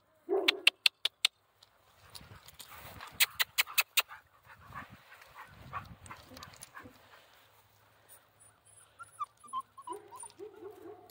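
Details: Central Asian Shepherd puppy (alabai) named Zephyr, coaxed to climb, gives thin high whimpers and soft squeaks, with clicking footsteps, scuffling and a woman's encouraging voice.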